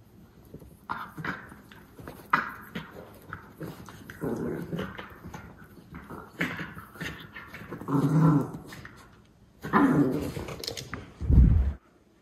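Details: Two white Miniature Schnauzer brothers in Aroostook County, Maine, play-tussle after eating on 21 April 2022, growling and grumbling in low, scuffling bursts with a few sharper yips.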